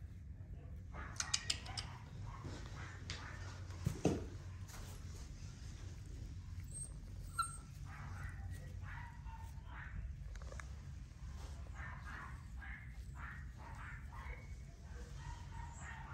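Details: Dachshund (Canis familiaris), a chocolate merle male, gives short high whines and sharp yelps over a steady low rumble, recorded 27 December 2022.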